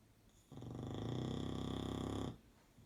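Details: An English Bulldog napping on a bed after a long day snores in one long, rumbling, fluttering breath.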